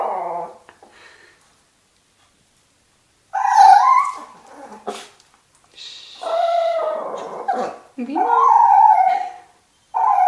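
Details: Toy Fox Terriers meeting a turtle for the first time, growing more vocal as it comes out of its shell: drawn-out, wavering high whines and howl-like cries in three long bursts, separated by silent pauses.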